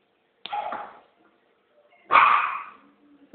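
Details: Shih Tzu named Gogo staying four days at a pet boarding place, giving two short sharp barks about one and a half seconds apart, the second louder, with faint voices between.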